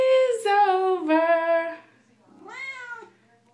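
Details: Female Siamese cat indoors, singing along as her owner sings her favourite Les Mis song: three drawn-out, tonal meows, the first sliding downward, the second long and steady, the third rising then falling after a short pause.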